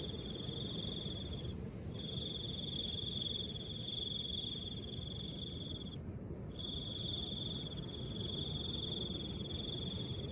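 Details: Cricket trilling in soft wind, the trills long and nearly unbroken, with short gaps around two and six seconds, above a constant breathy wind noise.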